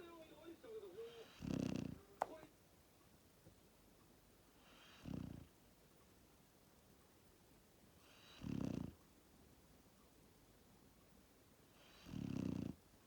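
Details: Labrador Retriever puppy Max, born 1 October 2019, snoring in his sleep. Four deep, rough snores come roughly every three and a half seconds, each about half a second long, after a brief higher sound at the start.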